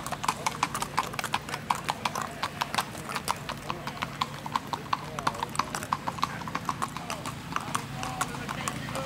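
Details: Strawberry roan Tennessee Walking Horse stallion ridden by a young girl on a ladies' trail ride in Macedonia, Texas; quick, even clip-clop hoofbeats, several per second, continuing throughout, with people talking in the background.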